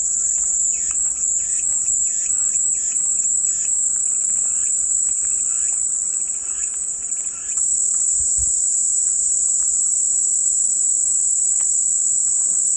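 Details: Continuous shrill buzzing of cicadas, a dense high drone that brightens and thickens after about seven seconds, over faint pulsed chirping in the background.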